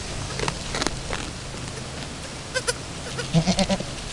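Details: Camosciata delle Alpi goat Chiara at her first kidding with her newborn kid, two hours after birth, both still learning to nurse; a quick run of short, low, pulsing bleats near the end over rustling and handling noise.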